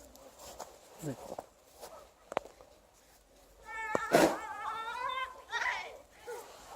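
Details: Liza, an Alaskan Malamute on a winter walk, backs up a monthly air raid siren test: a wavering, harmonic-rich howl of about a second, sliding slightly up and down, then a shorter lower note, with footsteps and a voice around it.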